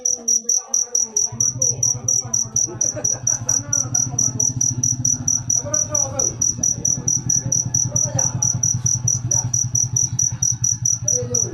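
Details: Cricket chirping steadily, a bright high pulsed trill repeated in a fast even rhythm, with a low hum and faint background voices beneath.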